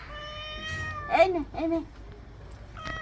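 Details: Domestic cat at bath time, giving a long, level, tonal meow that holds steady for about a second, then a short second meow near the end; a woman's voice speaking in Bengali breaks in between them indoors.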